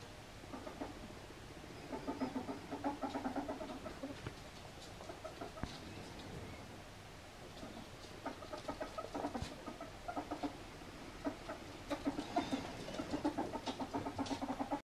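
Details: An albino male ferret, Mustela putorius furo, plays with slippers; it gives quick, low, hen-like clucking in uneven runs, mixed with bumps and shuffling sounds.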